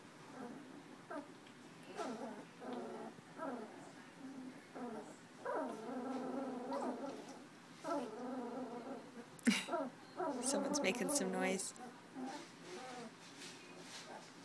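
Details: Puppies two weeks old, eyes opening and barely walking, from the Tucker and Libby litter, January 2012; repeated tonal whines and whimpers, some rising and falling, with a sharp yelp near the middle and faint human voices.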